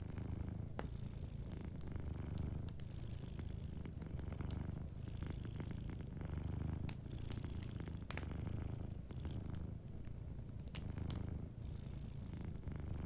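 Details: Gentle purring from a sleeping cat near a crackling hearth, a dense continuous low rumble with soft pulsing swells, overlaid by frequent snapping fire crackles throughout.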